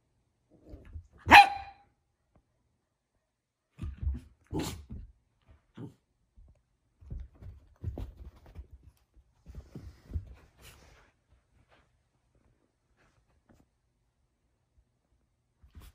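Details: Two puppies playing together, a ten-month-old black mini poodle and a four-week-old goldendoodle, socialized indoors: one sharp bark near the start, then scattered soft grunts, yips and scuffling bumps with quiet gaps between.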